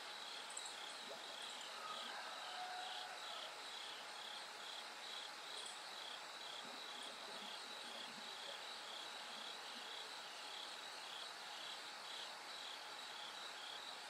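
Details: Night insect chorus with bell cricket song as the sky slowly lightens toward dawn. Bright pulsed trilling repeats roughly twice per second, with a few brief higher chirps early on and a low constant hum.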